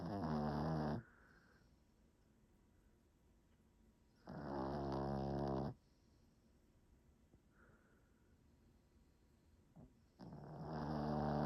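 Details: A dog asleep in a quiet room, snoring in steady cycles: rough, vibrating breaths lasting one to one and a half seconds recur about every five seconds, with faint softer exhalations in the pauses.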